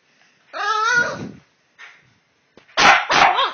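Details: Boston Terriers in a two-dog exchange: a wavering, yodel-like whine lasting about a second, a short faint yelp, then two loud barks close together.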